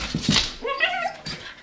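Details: A pet dog whimpers indoors after chewing a cat bed and settling into it; a short rising-falling whine with clear harmonics, preceded by a couple of soft huffs and a faint human voice.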